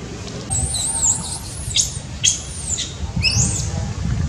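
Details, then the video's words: Baby monkey crying very loudly, needing care from its mother; shrill, high squealing cries in short arching bursts, some dipping lower, repeated several times over a low rumbling background. "baby monkey cries very loudly need take care from mom"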